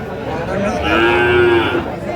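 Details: Cattle lowing at a livestock market in Bogura, Bangladesh, on 13 March 2025, where a Sahiwal bull calf is being bought: one drawn-out, steady moo about a second long rises over a murmur of traders' voices.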